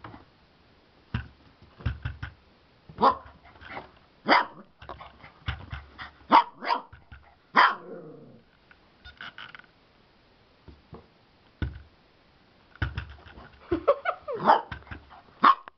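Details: A Siberian Husky in Slovakia protests while its owner tries to wash it, with sharp barks and drawn-out, wavering yowls.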